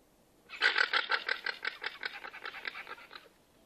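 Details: A llama, said to be unhappy with the jazz music, gives a rapid series of nasal, pulsing notes for about three seconds.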